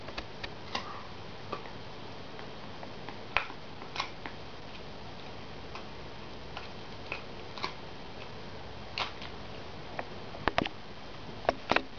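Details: Irregular soft clicks and taps sound over a faint indoor hiss, with no animal voice.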